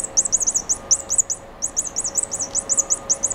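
A mouse gives rapid, very high bird-like chirps, about six to eight a second, in two bursts with a brief pause, over a faint steady electrical hum.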